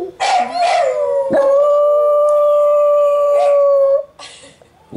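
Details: Nana the dachshund howls at dog television beside her companion Trygg: a sustained, steady, level tone held for over two seconds after a short wavering start, ending in a brief sharp yelp.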